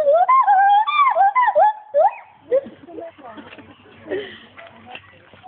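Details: Loud, swooping whoops from Paul, a male agile gibbon kept at Monkey World. The notes rise and fall quickly for about two seconds, then give way to murmuring people and soft background sounds.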